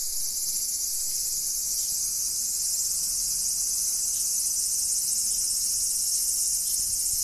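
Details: Cicada giving a continuous shrill, high buzzing drone that holds the same even pitch and loudness from start to finish, with no breaks and little else audible.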